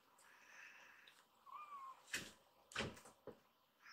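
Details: Rescued baby kittens indoors, gathering on a lap: a single short, thin mew that rises then falls, followed by sharp knocks and bumps of handling in a small room.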